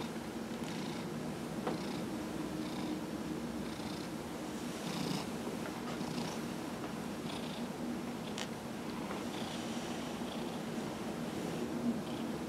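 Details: Massaged domestic cat Dillard, 15 years old, recorded November 27, 2018; a continuous low purr with rhythmic inhale-exhale swells and soft rubbing noises.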